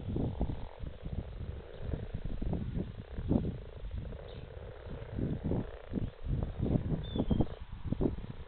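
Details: A pondful of frogs in February 2017: a dense, low chorus of overlapping grunting croaks, short pulses following each other several times a second throughout, with many callers at once.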